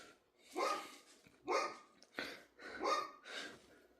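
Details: Dog barking indoors: five short, harsh barks spaced roughly a second apart, each a broad noisy burst, with quiet gaps between.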